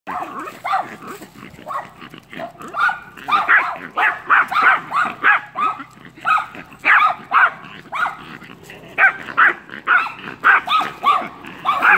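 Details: A Yorkie meets dogs behind a fence on 03/07/2017 at 8:54am; the dogs bark in quick, sharp, repeated bursts, several each second, with a fairly high, yappy tone.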